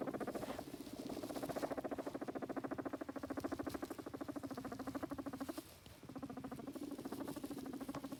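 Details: A guinea pig does a rumble strut, giving a low, rapid, vibrating rumble, a steady purring buzz with a brief break.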